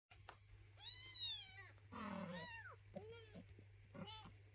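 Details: Hungry kitten with its mother cat meowing indoors: a long, loud meow that rises then falls, a second drawn-out meow just after, then two shorter, quieter meows, over a steady low electrical hum.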